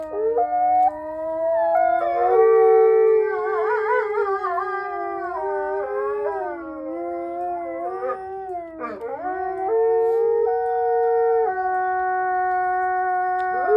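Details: Mexican wolves howling in a long chorus: multiple sustained voices at different pitches, some wavering and yodelling in quick oscillations, one dipping sharply midway, then steady drawn-out howls return.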